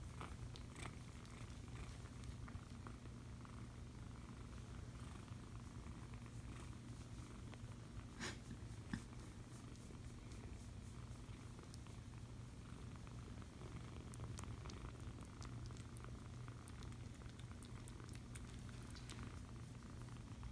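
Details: Foster kitten purring while being cuddled indoors, a steady low rumbling purr running continuously throughout, with faint soft rustles and small clicks of handling over it.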